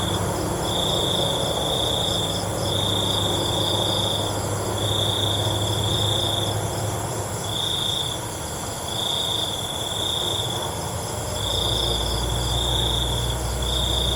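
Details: Nighttime cricket chorus: bright pulsed trills come in uneven bursts, with a low steady hum beneath that deepens toward the end.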